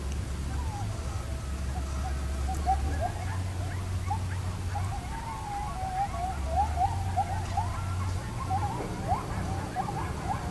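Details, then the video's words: Coyotes recorded while camping in eastern Oklahoma, on two separate trips in 2021 and 2022, give wavering, overlapping howls and quick yips over a steady low rumble. "my coyotes recording with my pics, eastern OK"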